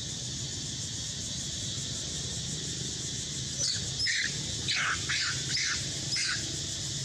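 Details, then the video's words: Young mother monkey, hurt and harassed by a king monkey, crying loudly as she tries to escape: a run of short, harsh squealing cries in the second half, amid a steady high insect drone and low outdoor rumble. "Monkey Cry So Loudly For Escape"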